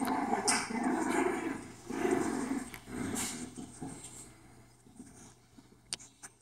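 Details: Playful growls from a four-week-old female English Bulldog puppy wrestling with its mother, rough low rumbles early on that fade into quieter snuffles and a few sharp clicks.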